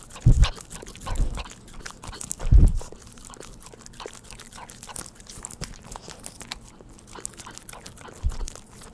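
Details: Pet dog eating churu treats: a few loud, low, thudding chomps near the start and again near the end, between quieter scattered wet clicks and licking smacks.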